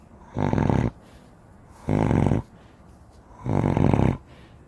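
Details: Giant Spanish Mastiff asleep, snoring in three rough, rattling low bursts about one and a half seconds apart, each breath lasting roughly half a second, with quiet pauses between.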